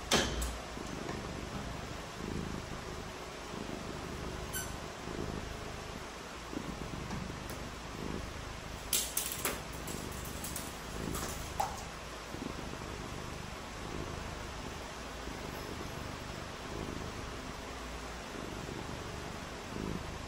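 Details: Purring from a domestic cat during a rainy day of cats playing in the rain. Rhythmic low pulses repeat about every second for the whole stretch, with a bump at the start and a cluster of clicks midway, all over a steady hiss.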